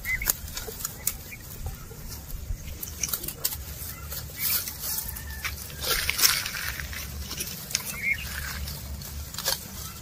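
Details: Cows and oxen eating grass while walking: a busy run of crisp tearing and crunching bursts, irregular and close, over a soft low rumble, with a faint high insect hum and a few chirps in the background.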